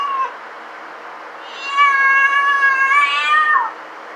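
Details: Pet cat giving one long, drawn-out meow lasting nearly two seconds, steady then dipping at the end, preceded by a brief short mew, with faint room hum behind.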